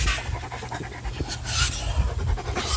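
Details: Short burst of quick breathy panting from Ruger, a German Shepherd playing with a Jolly Ball, among commands to drop the ball, with hissy rustling bursts.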